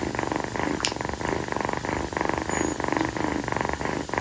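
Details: A rescued female calico kitten named Kii purrs on her owner's feet at night, a rhythmic buzzing rumble in alternating breath phases, somewhat quieter, with a small tap near the start.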